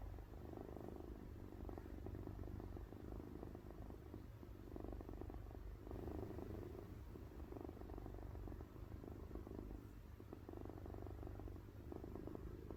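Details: A cat purring while sleeping, like a snore: a soft, low droning rumble rising and falling in slow, even cycles every couple of seconds, fairly muffled, with no other distinct sounds.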